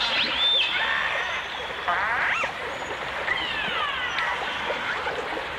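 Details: Dolphins and orcas, from a 1989 stereo album, with several sharply rising and falling whistles and a buzzy harmonic sweep against a soft wash of water.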